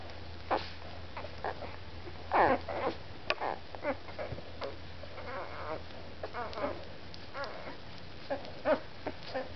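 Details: One-week-old Labrador retriever puppies eating dinner, giving short squeaky whimpers and soft grunts among wet suckling and lapping sounds, with a steady low hum underneath.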